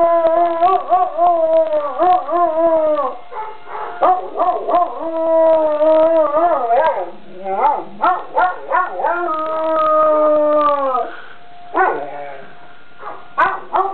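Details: Young dog howling in response to a siren from a neighbouring school: long wavering tonal howls, sliding up and down, broken by short yips and quavering breaks, continuing for most of the stretch before fading into quieter, lower notes.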